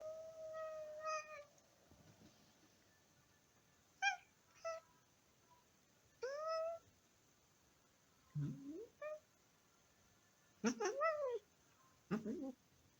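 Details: Domestic cat Simon meowing to wake his sleeping brother Max indoors; a series of short harmonic meows, one long steady opening meow then rising-falling calls spaced every one to two seconds, some rough and nasal, in a quiet room.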